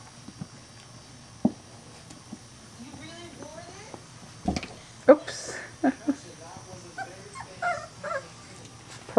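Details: Three-week-old Weimaraner puppies from one litter playing indoors, giving short whimpering yips and squeaky whines in scattered bursts, a few sharp knocks, with a woman talking softly in the background.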